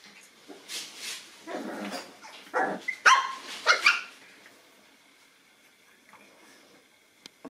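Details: Boston Terrier puppies, nine weeks old, encountering a toy for the first time: a quick cluster of shrill puppy barks and yaps, several overlapping, then near silence with faint clicks.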